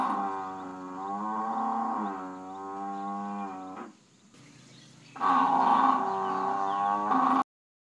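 African buffalo giving long, low, moaning calls, two drawn-out lows run together, then after a brief pause a louder, brighter bellow with a rough edge.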